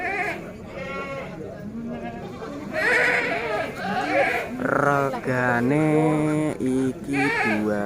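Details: Bligon and semi Jawa Randu breeding goats, bucks and does offered for sale, filmed around 18 April 2025; several wavering, drawn-out bleats come in the second half, overlapping each other, with a man talking through much of the recording.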